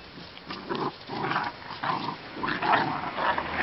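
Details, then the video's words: American Staffordshire Terrier puppies indoors, dated 27 October 2013, giving short rough growling yelps in bursts of about half a second, repeated roughly every half second, overlapping one another, with some room noise. "szczeniaki amstaff"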